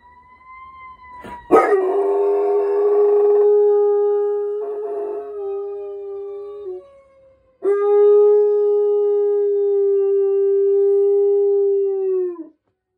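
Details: An Utonagan dog howls along to fire truck sirens, giving two long, steady, mournful howls, each held for several seconds.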